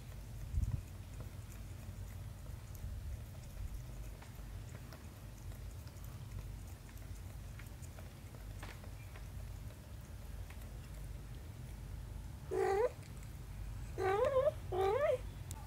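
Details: Mother cat and her young daughter kitten, mostly quiet room hum until three short wavering meows arrive near the end, the last two close together.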